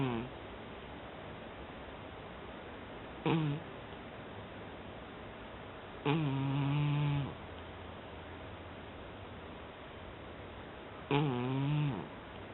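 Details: Sleeping cat snoring indoors: three low, harmonic, rasping breaths at about 3, 6 and 11 seconds, the middle one drawn out for about a second, with quiet room hiss between them.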